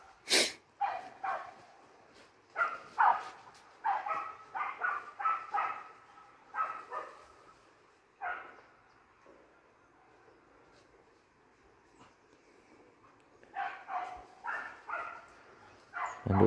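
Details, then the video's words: Hunting dogs let loose in a forest, barking: bursts of sharp, harmonic barks come in uneven clusters, fall quiet for several seconds mid-way, then resume with a run of quicker barks; sharp knocks at the start and end. "cho các chú chó săn vào rừng sủa hơi cày chơi nghe cho sướng"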